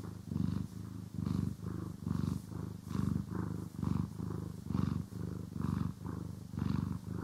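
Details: Pet cat purring during grooming and brushing, stereo recording; low, throbbing rumble that swells and fades with each inhale and exhale, roughly eight regular cycles, faint brush strokes audible over it.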